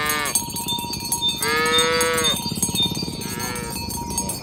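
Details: Village cows moving in the morning toward the pen: a short moo, then a long, even, drawn-out moo and a brief softer one, all under continuous clanging cowbells.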